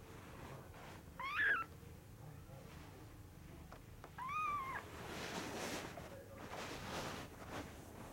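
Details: Kitten at a cattery giving two short meows about three seconds apart, each a rising-then-falling harmonic wail, followed by soft rustling and handling noise.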